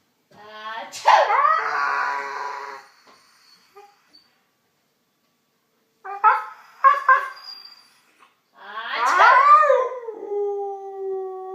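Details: Siberian Husky howling in response to hearing someone sneeze: whining, wavering howls rising then sliding down, broken by a silent gap and a few short sharp bursts, then a long falling howl that trails off.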